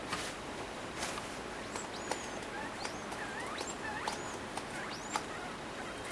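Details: Courting a sock while in heat, a degu gives a run of quick, high upward-swooping chirps and short squeaks, several per second at times, mixed with light tapping and scuffling noises.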